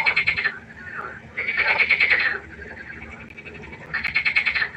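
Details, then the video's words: A frog croaking at night by a pond: three long rattling, pulsed croaks, each lasting about a second, separated by short gaps, with quieter frogs in the background. "1 Stunde Froschkonzert. Frosch Geräusche quaken. Frösche Geräusche Konzert"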